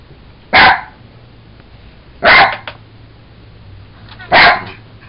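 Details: Jack Russell Terrier Sugar, excited over a toy monkey, lets out three punchy barks spaced roughly two seconds apart, each short and harsh against a quiet indoor background.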